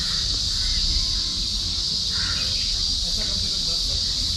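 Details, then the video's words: A steady, high-pitched shrill of crickets, unbroken throughout, with a brief bird note midway, heard in the morning at a resort in the middle of the jungle in Bandipur forest reserve, Karnataka. "And I'll keep quiet so that you can hear the sound of the crickets."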